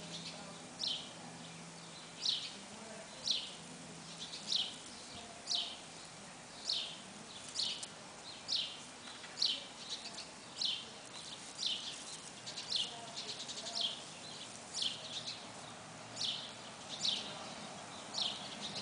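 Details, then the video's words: Nestling squirrels calling from a box nest: a steady run of sharp, high chirping squeaks, each dropping quickly in pitch, repeated about once a second for the whole stretch against a quiet, hissy background. "baby squirrels in box nest"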